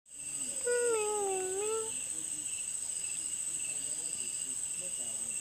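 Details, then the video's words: Cat sitting alone in the evening, giving one drawn-out wavering meow with a falling then rising tone, followed by fainter soft meows, over a constant high steady hiss. "So cute meow"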